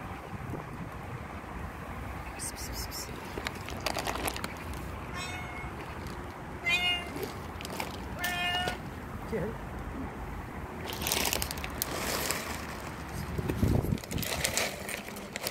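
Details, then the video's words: Hungry stray cats gathered for food on the street, several short harmonic meows scattered through the middle, overlapping with human speech and background street noise. "Cute hungry cats gathered around me."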